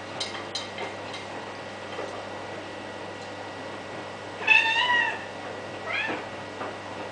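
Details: White domestic cat, fixated on a washing machine indoors, gives one clear, harmonic, slightly falling meow midway, then a softer, shorter meow. A steady low machine hum runs throughout, with a few faint clicks near the start.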